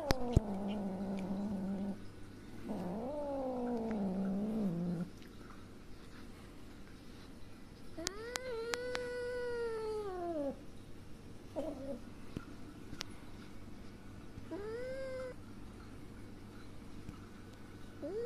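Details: Kitten named Sunia, angry and frightened after her mother cat, who just gave birth to five kittens, hit her; several drawn-out harmonic meows, some wavering, with a soft low hum and a woman speaking gently nearby.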